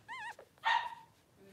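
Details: A newborn Blenheim Cavalier King Charles Spaniel puppy, three days old, in Pom-Pom's whelping pen, lets out a short quavering squeal followed by a louder, sharper yelp that fades into quiet.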